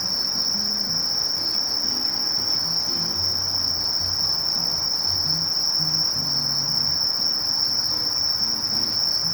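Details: A sasakiri katydid, Conocephalus melaenus, keeps up a sustained thin, high, even-toned buzzing trill without breaks, with a soft low hum beneath.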